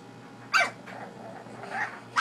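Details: Baby bully dog named Aubie Shug barking at her owner to wake him up, indoors, after being ignored; one sharp, loud bark bursts out, followed by softer trailing noise and the start of another bark at the end.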